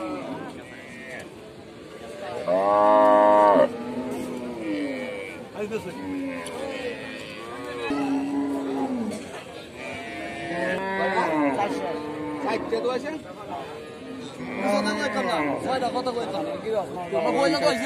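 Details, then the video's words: Cattle at milking time give repeated arched, drawn-out moos, some loud and close, one roughly every two seconds, with music playing quietly behind. "Most popular cow milking video in the world || Cow video"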